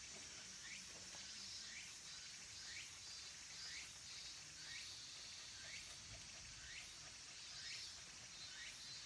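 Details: At a mountain temple in Takatsuki, Japan, as summer ends, minmin and tsukutsukuboshi cicadas keep up a continuous high buzzing wall of sound, while brief upward-sweeping chirps repeat roughly every second over soft background rumble.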